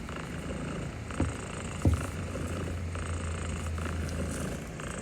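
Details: Pet cat purring during gentle petting, overwhelmed but not minding it; a deep, even rumbling purr, with two brief sharp knocks near the start before the low drone settles.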